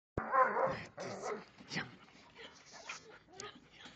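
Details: Belgian Malinois giving a loud, sharp bark that cuts in suddenly, followed by softer, scattered grunting and huffing sounds that fade over the remaining seconds.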